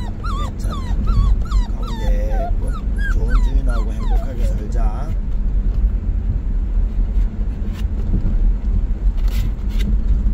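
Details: Puppy Bandalgom whimpering on the day it is taken to a new owner: quick cluster of high wavering whines in the first five seconds, then only low rumbling background noise.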